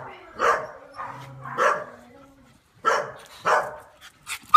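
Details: Rescued female Tibetan Terrier Holly, home from kennels, gives a handful of spaced single barks roughly every half second to second, with a faint voice and room noise behind.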